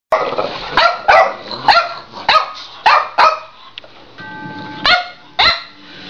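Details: Boxer, Boston terrier and French bulldog playing tag after one took the ball; repeated sharp barks, about eight bursts in six seconds, uneven spacing, with a faint tonal background sound.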